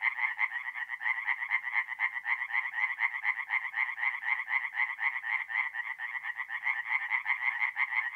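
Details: Nighttime chorus of tree frogs at a forest pond in North-East Italy, mid-April. Fast, steady, rattling croaks pulse about four times a second without pause, harsh and nasal, filling the whole stretch against an otherwise quiet background.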